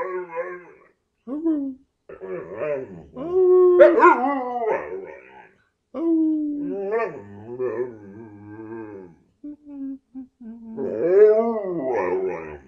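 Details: Nine-year-old male Carolina Dog, adopted from a shelter, makes a run of wavering, bending yelps and short yodel-like 'monkey noises' in bursts separated by brief pauses, mixed with a person's coaxing voice.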